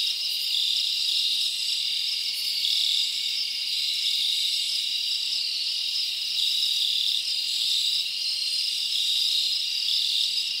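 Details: Crickets chirping at night in a summer forest: a dense, steady high-pitched trilling chorus with bright pulsed tones and faint higher ticking, continuous and even throughout, with no other clear sounds.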